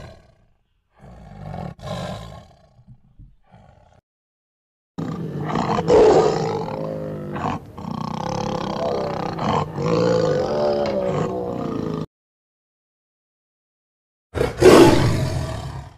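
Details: A tiger gives a long, sustained, rumbling roar lasting about seven seconds with a gravelly harmonic texture, then one final loud, sharp burst after a cut to silence.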